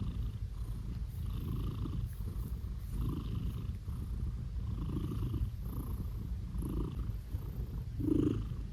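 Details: Blue British Shorthair cat, a male, purring steadily under petting, low vibrating rumble with soft rhythmic breathy pulses and a short louder squeak-like noise near the end.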